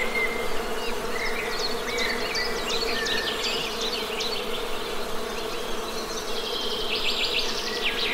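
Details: Honey bees humming near a hive in nature: a steady, low droning buzz with an overtone band above it, continuous throughout, while small birds chirp and twitter in the background.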